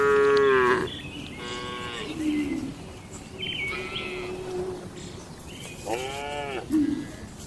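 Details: Docile cattle in a quiet farmyard stall: softer, more distant moos, one opening with a strong bellow and several shorter, higher lows following, over a faint, hissy background.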